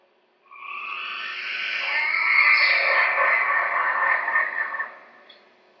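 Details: A yellow-bellied glider in southeast Queensland, Australia, at night, gives its distinctive loud, harsh shriek that breaks into a rattling, gurgling wail.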